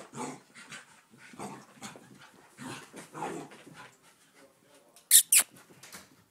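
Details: Puppy playing with another dog indoors: repeated soft, breathy panting bursts with scuffling, then two sharp loud clicks or knocks near the end.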